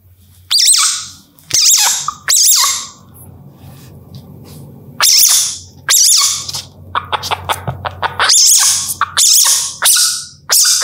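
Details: Civet baby making piercing, thin squeaks in irregular groups, some doubled, separated by quieter gaps with a soft low hum in the background.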